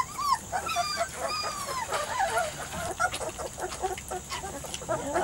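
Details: Young Weimaraner x Vizsla pups, three to four weeks of age, from Biscuit's litter: a few wavering high whines at the start, then mostly soft squeaks mixed with tapping and rustling movement.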